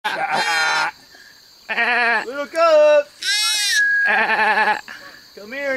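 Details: Baby goats at Nshongi Camp bleating repeatedly, loud quavering cries with a strong wavering tremolo, several overlapping, with a clearer higher-pitched call in between.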